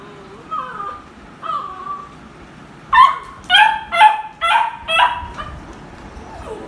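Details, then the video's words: Vocal beagle at play with toys: faint whiny whimpers at first, then five loud, evenly spaced barks roughly every half second in a short burst, followed by a brief soft whine. "They make noise & bark when they play with toys."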